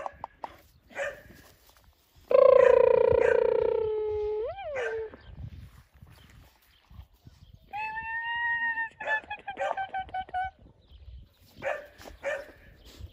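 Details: A young female black Labrador, Tia, at five months old, gives a long, steady, tonal howl-like whine that flicks upward at its end, then a series of higher, stepped whining notes, between soft knocks and rustles.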